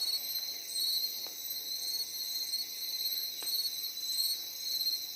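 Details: Insects calling in a steady high-pitched chorus, several shrill continuous tones stacked together with gently pulsing loudness, a few faint clicks in the background.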